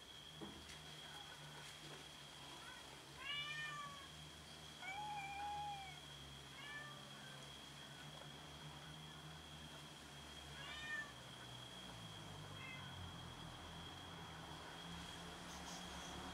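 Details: Several domestic cats meowing while fighting over food: a series of short arched meows, some stacked and some drawn out, clustered early and again around the middle, over a steady high tone and a low background hum.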